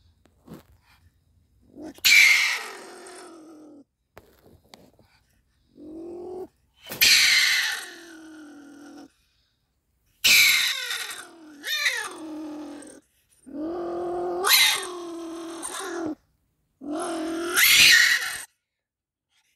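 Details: A stone marten caught in a live trap gives harsh, hissing screams and wavering, cat-like wails in short bursts.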